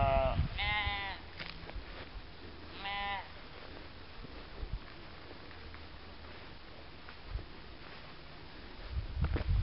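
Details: Bleating sheep give two quavering, buzzy bleats close together early on, followed by a long stretch of quiet low background noise with a few faint knocks.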